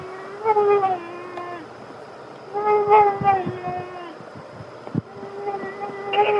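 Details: Black bear cubs eating alongside their family, vocalising to guard food from the other little ones: repeated drawn-out whiny squeals that bend slightly in pitch, broken up by short chewing and scuffling noises.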